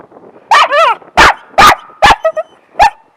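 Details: Dog at a dog park barking on command while its owner repeatedly asks it to speak: about six short, loud, broadband barks spread irregularly over three seconds, some with a rising-falling yelp shape, and human speech between them.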